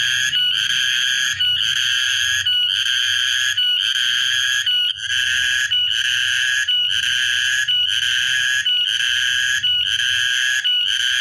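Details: A cicada recorded on Tuesday, 14 March 2023, gives a loud, shrill, metallic droning buzz pulsing in roughly one-second bursts with brief catches, over faint low background rumble.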